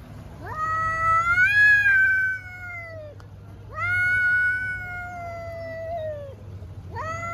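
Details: Angry cats in a fight yowl in long, drawn-out wails, each rising then sagging and lasting about two seconds. The wails come one after another over a steady low hum.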